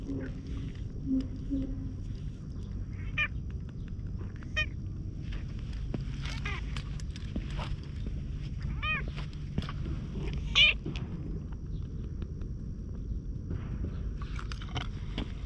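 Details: Hoarse-voiced stray cat coming closer and getting pats on its lower back, filmed with a GoPro HERO8; five or six short, raspy harmonic meows repeat every few seconds amid rustling, handling noise and a low rumble.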